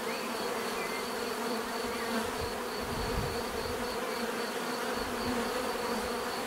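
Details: Bees droning in a natural setting, a full continuous buzz with overlapping hums and a pulsing high tone, brief deeper whooshes near the middle as insects pass close.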